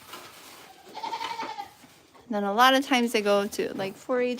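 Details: Goat bleating at The Willful Goat Farm & Home: after faint background talk, a run of loud, quavering bleats comes in quick succession, each cut short before the next.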